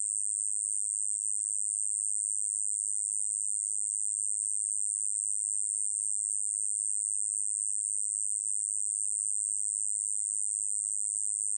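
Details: A Hexacentrus japonicus katydid sings a steady, high-pitched buzzing trill that runs unbroken from start to finish; recorded in 2020.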